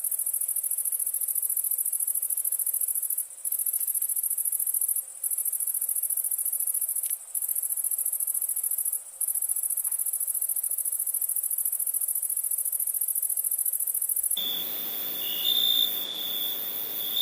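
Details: Crickets at night: a dense, very high-pitched continuous trill broken by a few brief pauses, switching near the end to a steadier, lower-pitched ringing tone with a short louder burst.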